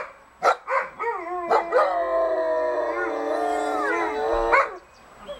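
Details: Dogs, mothers with pups, howling along with a softer siren at noon, which unsettles the pups; a sustained wavering howl with stacked harmonics over about three and a half seconds, preceded by a few short sharp yelps.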